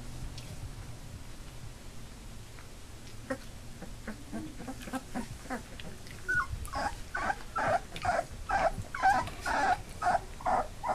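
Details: Labrador puppies two days shy of three weeks old, walking with eyes open, build from faint scattered squeaks to a loud, regular series of whining cries in the final seconds.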